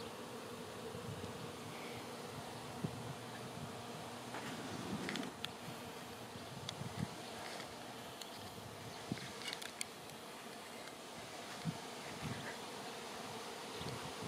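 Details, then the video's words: Swarming honey bees filling the air before settling on a branch to await relocation to a new home; a soft, steady, diffuse drone with scattered louder buzzing bursts and faint clicks over about fourteen seconds. "Honey Bee Swarm"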